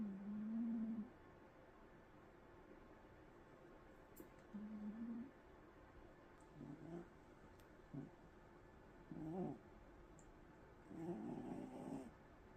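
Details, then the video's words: A sleeping pet cat snores softly. Low drawn-out breaths come at irregular intervals, some smooth and others rougher and broken, in a quiet room. "Snoring Mufasa ～ I wondering what's he dreaming about"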